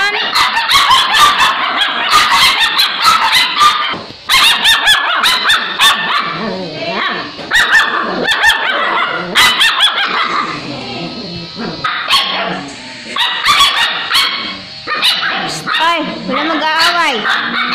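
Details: Eight 5-week-old Alaskan Malamute puppies squabble in a tangle of high whines, yips and woo-woo howls while arguing over who bathes first, with music playing.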